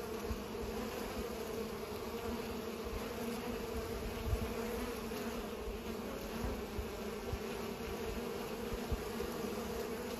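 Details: Bees pollinating, their wings giving a steady, dense humming drone with strong bands low in the range, unbroken for the whole stretch, a few faint low thumps underneath.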